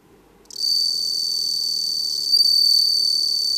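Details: Bell cricket filmed for a stock library in Japan, singing a high, pure, ringing trill that starts after half a second and continues steadily, with a slight swell in loudness near the end; no other sounds.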